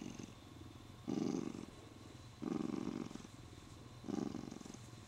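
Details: Contented male Siamese cat purring as it is stroked and holds its owner's arm; three loud rumbling pulses rise and fade at steady intervals over a softer continuous purr.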